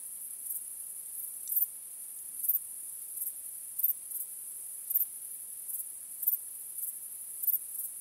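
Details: Crickets chirping on a starry night: a steady, very high-pitched shrill trill runs throughout, with louder chirp bursts roughly every half to one second, uneven in timing. No other animals or people are heard.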